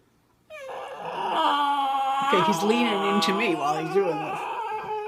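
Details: A dog that wants to play makes a long, unbroken, wavering whine that rises and dips in pitch, almost quacking like a duck, while a person talks softly over it.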